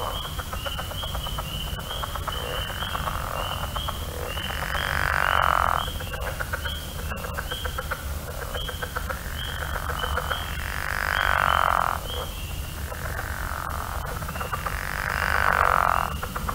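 A pickerel frog gives low, rasping snores about once every five seconds over a steady high chorus.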